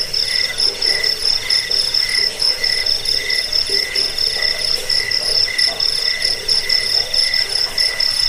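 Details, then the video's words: A high, ringing cricket chirp pulses on steadily, with short rhythmic bursts over a constant shrill tone. Played as a rat repellent, a bedtime sound and a model for training songbirds. "Suara jangkik pengusir tikus pengantar tidur"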